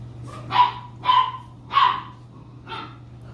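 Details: Terrier available for adoption, recorded 31 May 2022; four sharp barks about half a second apart, the last weaker, over a steady low hum, with a woman's voice remarking how pretty she is.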